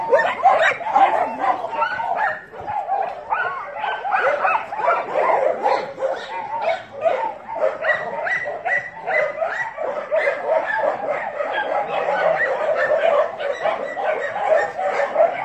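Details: A pack of dogs keeps up a long, unbroken din of shrill yips, whines and barks, many voices overlapping, loudest at the start and holding a busy, even intensity throughout.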